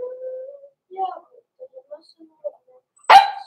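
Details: Cavalier King Charles Spaniel puppy, blenheim, one of Pom-Pom's litter born November 14, 2022, in an indoor puppy pen before Christmas; a steady thin whine, then soft scattered squeaks, ending in a single sudden loud bark.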